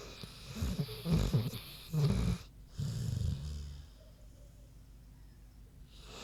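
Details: Queenie, a big pig, snoozing: three low, rough snores about a second apart, each a rumbling breath, followed by a long quiet stretch of soft breathing.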